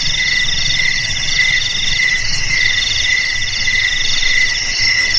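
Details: Crickets chirping steadily, with repeated pulsed trills in several high bands overlapping into a continuous chorus. A low rumbling background noise runs underneath throughout.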